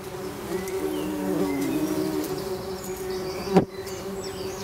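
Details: Tree bumblebee nest with young queens, Bombus hypnorum: even buzzing drone, faint bird chirps above, and a sharp knock near the end.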